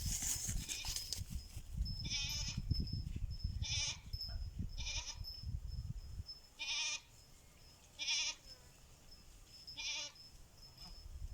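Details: Goats bleating in answer to a person calling them: a low rumbling background fades after six seconds, then wavering, harmonic-rich bleats repeat roughly every one to two seconds.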